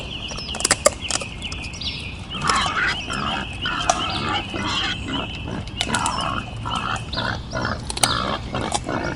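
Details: Wild boar giving a steady series of short, harsh broadband grunts, closely spaced and irregular, with clear whistled birdsong and background clicks throughout.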